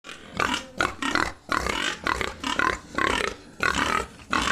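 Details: Pigs at a pig farm in Assam: dense bursts of harsh squealing and grunting in quick overlapping pulses, about two per second, with brief gaps, loud and close throughout.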